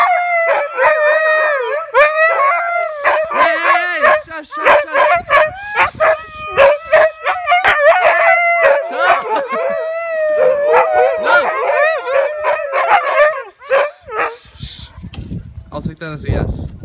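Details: Several huskies, excited at the offer of a walk, keep up a steady wavering howl chorus broken by rapid choppy yelps and pulses, fading out near the end into rustling and low noise.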